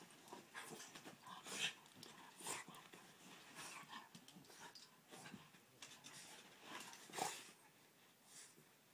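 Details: Pet Boston Terrier Cash Money, shown 'breakdancing' in play inside a home, pants steadily in quick breathy huffs, with a few louder snorting bursts standing out.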